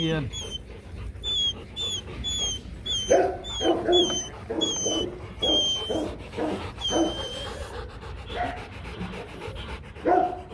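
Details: Male and female Rottweiler, Loki and Siro, mating: a run of heavy, breathy pants in the middle, mixed with human speech and steady high bird twitters throughout.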